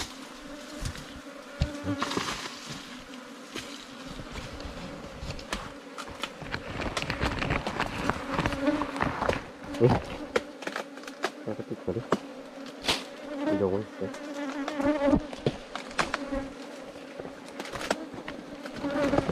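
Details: Wild ground-nesting bees, small and rarely found, at a nest in an underground cavity or termite mound opened by honey hunters. A steady low hum with a faint overtone runs throughout, broken by crackling digging and scraping noises and occasional voices.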